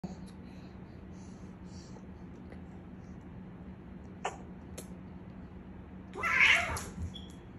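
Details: Bean, a bottle-raised male flame point Siamese cat, gives one short, harsh, breathy scream after a few soft rustling clicks in a quiet room, frightened after stepping on paper he took for a bug.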